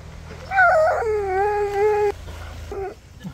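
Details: Siberian Husky whining with excitement at a surprise visitor: a drawn-out tonal whine that rises then settles and holds steady for about one and a half seconds, followed by a short fainter whimper; a person asks who's here.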